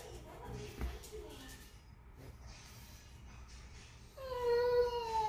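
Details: A boxer dog "talking" to a miniature schnauzer puppy gives a drawn-out, tonal moaning whine near the end, after quiet background talk.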